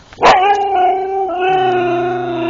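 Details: ['Siberian Husky in the Urals, captured on a GoPro, opens with a sharp yelp and then holds a long steady howl at an even pitch with a slight dip midway, sustained to the end.']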